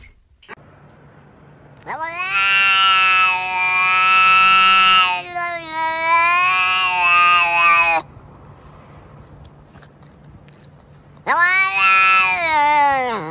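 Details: Cat giving long, loud, strained yowling meows: one sustained wail of about six seconds with a wavering middle, a pause, then another drawn-out yowl starting abruptly, over a faint steady hum.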